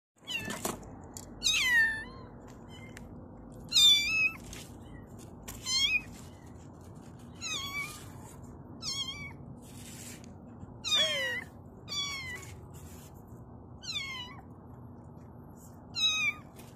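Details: Kitten giving high, harmonic-rich meows that rise then fall, about nine calls spaced roughly every two seconds, over a steady low indoor hum.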